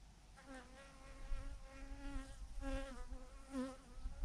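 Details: Thousands of bees hanging in a massive clump on a branch give a steady, droning hum that swells and fades in brief louder pulses, with a low rumble underneath.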